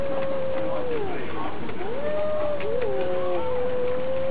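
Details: Cats fighting, cat versus cat: sustained moaning yowls hold steady, dip into a low groan, then rise into overlapping wavering wails that level off into a long, even howl.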